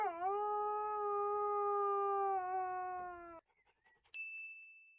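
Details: Puppy howling for the first time: one long, steady, tonal howl held for over three seconds and sinking slightly in pitch at the end. A bright ringing ding follows after a short pause.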